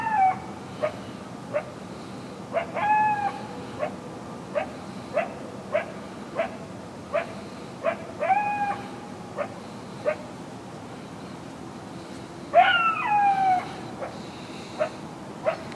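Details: Several coyotes barking at night, unusually close, loud and frequent: a steady run of short barks under a second apart, broken by drawn-out, falling yips and a louder wavering howl-bark burst toward the end.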